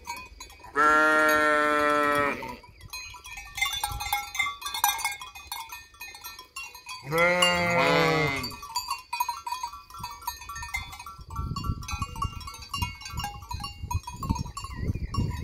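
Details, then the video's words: Sheep flock bleating beside an empty hotel at Fürigen; two long, loud, wavering bleats about six seconds apart, between them quieter tinkling bells and soft rustling, then low thumping noise. "Blökende Schafherde"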